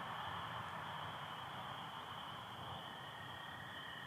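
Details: Michigan spring night chorus of spring peepers alongside American toads, 24 April 2025, stars and partial overcast: continuous shrill peeping band holding steady, with a lower drawn-out trill running beneath it and faint background hiss.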